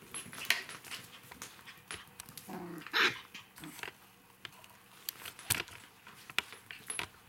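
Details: Three remaining puppies, five weeks old, during a lively evening together. Short whiny yelps and a squeaky whimper stand out among scattered clicks, scuffles and thumps.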